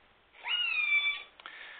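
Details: A killer whale in British Columbia, recorded underwater, gives a squealing, slightly falling call used to communicate over very large distances, about 25 to 30 kilometres.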